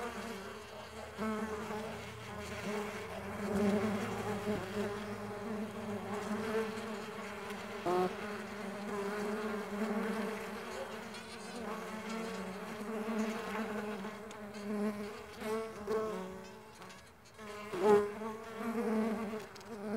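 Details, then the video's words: Several Mandaçaia stingless bees in flight produce an unbroken deep buzzing drone, its loudness rising and falling over twenty seconds, with occasional brief taps. "STINGLESS BEE SOUNDS"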